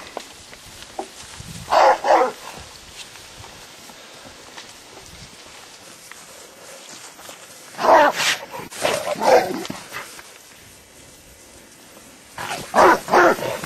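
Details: Rottweiler shown in a display of herding, bite force and protective instincts; clusters of loud harsh barks in short bursts, with quiet gaps between them.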